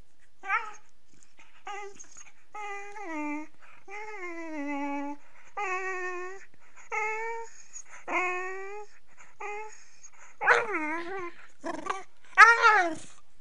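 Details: A Beagle puppy playing with its owner sings in a run of whiny, drawn-out howls that slide downward in pitch, typical beagle sounds.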